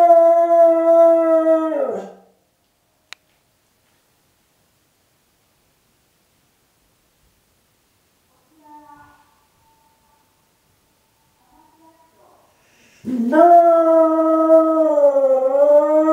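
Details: Domestic dog howling in response to the town's evening chime, perhaps taking it as a call from companions; a long steady howl fades out, a quiet gap with faint sounds follows, then a new wavering harmonic howl begins.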